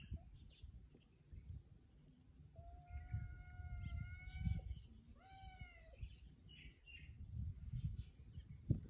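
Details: A cat gives two clear meows, the first long, flat and steady, the second shorter and falling, over low rumbling background noise.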